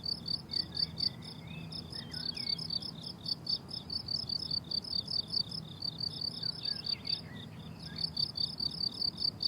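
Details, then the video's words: High, clipped cricket chirps come in short bursts with brief gaps on a blooming summer meadow, while faint whistled bird notes slide in the background above a low rumble. "Relaxing Cricket Sounds on a Summer Meadow"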